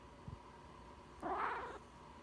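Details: Pet cat indoors, one of a household's cats said to meow every time the owner sniffles or sneezes; a single short, mid-pitched, slightly wavering meow of about half a second after a faint tap, over a steady low room hum.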